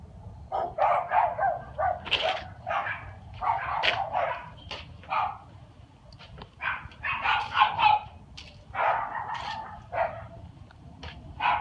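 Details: A dog barks at night on 13 February 2016. Quick, choppy barks tumble out in uneven runs of three to six, some higher and yappier, with low background rumble throughout.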